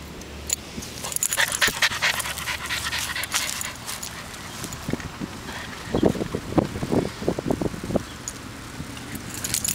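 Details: Chocolate Labrador puppy, the runt of its litter, heard up close: breathy, noisy huffs like panting, with a cluster of short, low soft bursts two-thirds of the way through, over steady rustling and clicking handling sounds.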